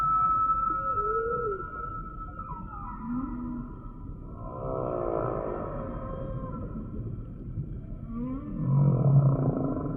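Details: Humpback whale singing: a long high tone, then swooping moans, a burst of rapid pulsed grunts midway, and a deep groaning moan near the end, all over a constant low hiss.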